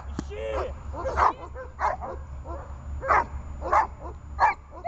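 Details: Dog barking during guard training in holding-and-barking work: short, loud barks roughly every half second to second, mixed with a person's speech between and over them, with a low steady hum underneath.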